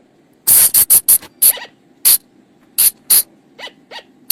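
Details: Flying lemur calls, used to lure the animals at night in the forest: a quick run of six sharp, shrill bursts, then spaced single notes and two fainter, softer calls near the end, over a quiet low hum.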